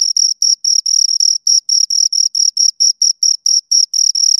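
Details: Two crickets heard very close: brisk, piercing chirps ticking along at about four per second, fairly even but occasionally stuttering, clean and loud against complete silence.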